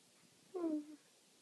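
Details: Corgi prompted to speak, producing a single brief falling whine, about half a second long, over quiet room noise.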